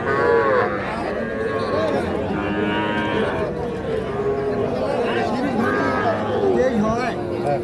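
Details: Several cattle moo repeatedly at Ambari livestock market, Parbatipur upazila, Dinajpur district, a Monday and Friday market selling young bulls and heifer calves. Drawn-out, wavering lows come every second or two amid constant crowd noise and voices.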